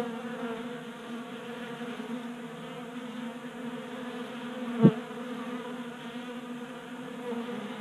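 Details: Constant buzzing hum of honey bees feeding from a 3D printed tabletop feeder in a Colorado garage in January, broken by a single sharp click near the middle.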